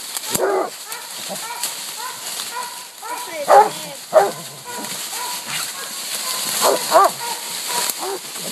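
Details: Hunting pack of Walker, Bluetick and Black and Tan coonhounds with a raccoon treed: scattered overlapping bawls and chop barks, some distant, several louder peaks, over steady background hiss.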